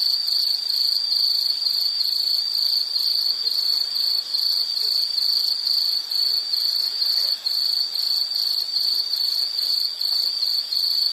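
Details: Continuous insect chorus meant as calming background for study or sleep, a bright high-pitched trill pulsing in quick even chirps, overtones above, steady level throughout with faint hiss beneath.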